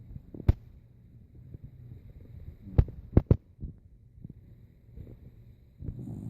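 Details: Sleeping old dog Rico snores in low, rough rumbles, broken by several sharp snort-like bursts and clicks, with a louder rumbling breath near the end.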